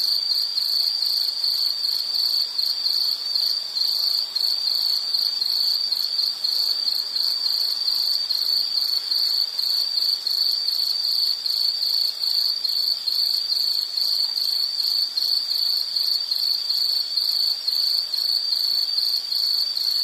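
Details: Insect, likely a cricket, in a nature-sounds relaxation recording: a steady, high-pitched continuous trill holding one pitch for the full twenty seconds, with faint higher overtones and no other clear sounds.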